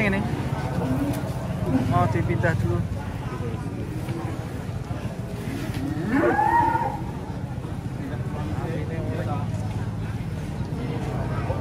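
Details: A raging cow coming down off a truck lets out a strained moo that sweeps sharply upward near the middle, with fainter lowing around it, against a constant low engine drone and shouting.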